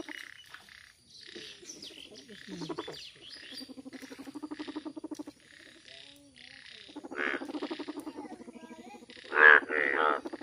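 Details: Yellow frog chorus, fairly quiet: low pulsed rattles and buzzy trills building in bursts, ending in a few loud, sharp croaks, with faint higher whistled notes in the background.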